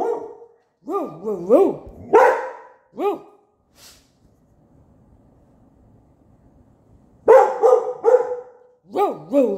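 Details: Mr. Onyx, a pet dog who thinks a dog outside is barking back, utters bouncy, wavering 'roo roo' howl-barks in two bursts split by a quiet gap. A person mimics the same pitch and tone.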